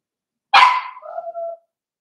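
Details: One bark from a blenheim Cavalier King Charles Spaniel puppy, seven weeks old and one of a litter of five in a home puppy pen: a sharp bright yap trailing into a short level whine.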